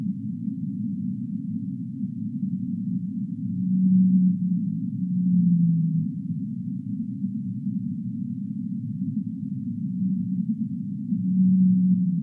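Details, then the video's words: Singing humpback whale: several short, hollow moaning tones, a level one then a slightly descending one, cluster around four to six seconds and again near the end, over a constant low murmur. "Humpback Whale Singing"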